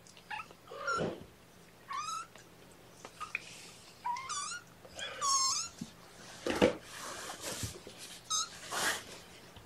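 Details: Kittens being syringe-fed formula at the morning's first feeding, 8 May 2018, in a lap; repeated bright mews rising then falling, roughly one a second, with soft handling rustles and clicks between calls.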